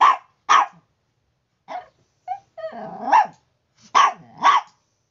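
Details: Morning barking from a Chihuahua, Bruno or Tiburcio: loud sharp yaps about twice a second, broken by a short whiny yelp and a drawn-out growling whine before two more barks.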